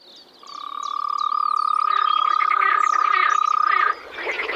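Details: Frogs calling in spring at a pond or wetland in the Czech Republic: a dense chorus of rapid, rattling pulsed croaks under a steady high tone, with birds chirping and whistling above throughout.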